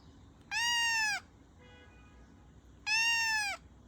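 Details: Domestic cat giving two drawn-out meows about two seconds apart, each bright, high and arching slightly downward at the end, over a faint quiet background.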